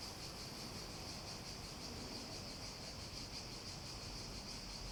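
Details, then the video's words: Cicadas singing as a steady, high, hissing drone that holds without a break for the whole stretch, with a faint soft pulsing inside it, over a low background rumble. "Relaxing Sounds With Cicadas"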